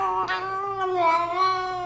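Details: Female house cat giving one long, drawn-out meow lasting nearly two seconds, a steady, strongly harmonic tone that wavers slightly and swells in the middle, indoors.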